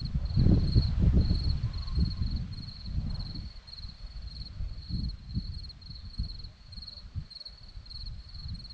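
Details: Hillside crickets near Zorlesti, Romania, give a continuous high trilling chirp broken into brief regular bursts, under deep rumbling noise that is strongest early on.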